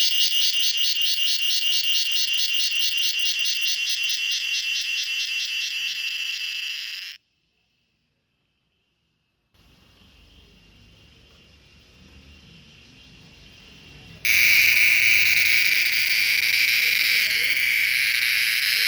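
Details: Cicada calling in a garden in the evening, resting on a mango tree: loud high pulsing buzz, rapidly repeated, stops abruptly, then a quiet gap with faint low rumble before a steady high buzzing resumes.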